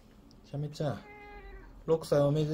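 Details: Shamue, a rescued pet Siamese cat, gives a drawn-out tonal meow with rich stacked harmonics, bracketed by short, rougher voiced bursts at the start and end, in a quiet indoor room.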